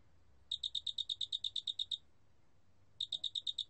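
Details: Large spotted cricket (큰알락귀뚜라미), 2020 National Institute of Biological Resources recording: a train of about a dozen sharp, high-pitched pulses, a second of silence, then a new train starting.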